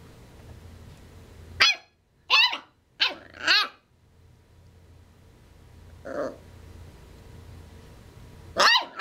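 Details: Corgi puppy, nine weeks old, named Cooper, barking while trying to get another dog, Buzz, to play indoors; four sharp high yelps in quick succession, a softer bark near six seconds, then one more yap, over a steady low hum.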